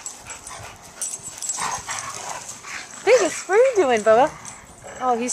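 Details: Joy the senior German Shepherd and Riley, a year-old Pittie pup, playing together at Coastal German Shepherd Rescue OC: a series of high arching yelps and whines that rise and fall, repeated in quick bursts, over soft speech and hiss.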